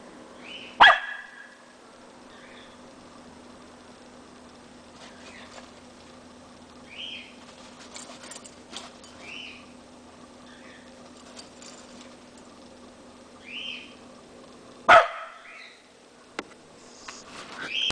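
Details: A Corgi playing in the snow and herding a Shetland Sheepdog gives two sharp, loud barks far apart, with soft yips and whines between them.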